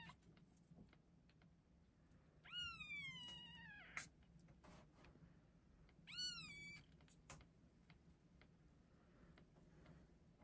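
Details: Newborn chocolate and chocolate-and-white Exotic Shorthair kittens, just delivered, born February 25, 2024, at an Arkansas cattery; two thin, high, wavering mews, each sliding downward, a few seconds apart, over soft rustling and handling noises.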